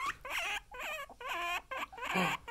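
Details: Two pet guinea pigs: loud, whining calls in four bursts of about half a second each, wavering and slightly rising, with short pauses between them.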